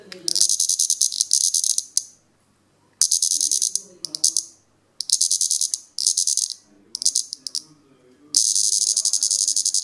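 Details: A plebeian cicada (Lyristes plebejus), Europe's largest cicada, deliberately disturbed while feeding on sap, shows displeasure with harsh, high buzzing bursts from legs and cymbals, stopping and restarting.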